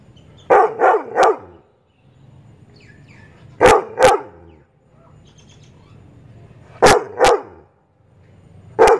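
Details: Labrador Retriever, a male irritated by chirping birds, barks in bursts of two or three rapid woofs separated by pauses of a few seconds. Faint bird chirps are heard in the gaps.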